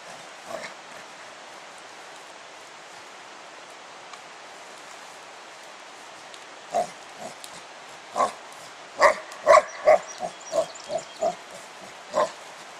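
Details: Pet dog Spike, out playing with a 10 lb weight: near-quiet stretch, then a quickening burst of short barks and yips clustered toward the end.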